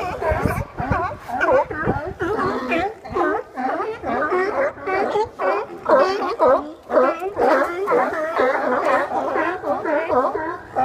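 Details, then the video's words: Large group of sea lions resting on docks in Westport, Washington, loud and noisy; a dense, continuous chorus of hoarse, overlapping barks, roughly two per second, with no pause. "Sea Lion Party"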